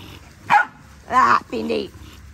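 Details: Playtime in a big dog paddock, where Linc, a baby Australian cattle dog, plays with bigger puppies; three sharp barks in quick succession, the last lower and longer, with people's voices nearby.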